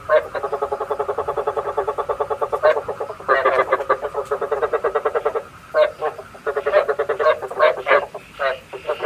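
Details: Decoy frog calling for night trapping: long runs of fast, even pulses forming a grating, rattling croak, pausing briefly around the middle, then resuming in choppier bursts over a low steady hum.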